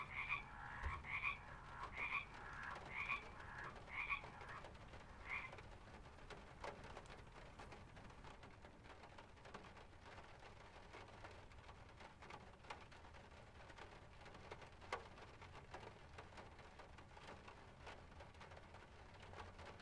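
Short, nasal croaks repeat roughly once a second for the first few seconds, each note buzzy with a bright overtone. The calling then stops, leaving a steady low hiss of pond-side ambience.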